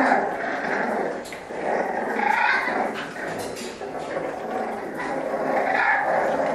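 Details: French Bulldogs play fighting: rolling, gravelly growls that swell and fade in waves, with snorting breaths and a few whimpering notes mixed in.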